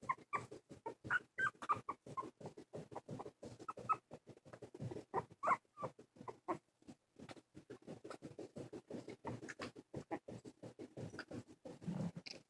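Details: Two silky terrier puppies, two and a half weeks old and just opened their eyes, wobble through their first steps: steady scratchy pattering of paws broken by occasional thin squeaks and tiny whimpers.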